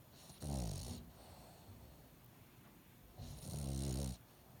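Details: Dog with a stuffy nose left over from illness snores indoors; two deep, buzzing snorts with airy hiss, the second preceded by a short catch of breath, separated by near silence.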